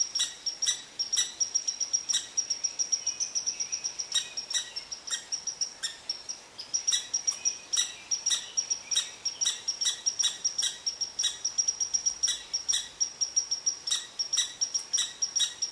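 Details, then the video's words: Irritable red squirrel scolding a cottontail rabbit beneath its favorite tree. A long, steady run of sharp high-pitched pips, many each second, is punctuated by frequent raspy bursts. "Red Squirrel Upset With Cottontail Rabbit"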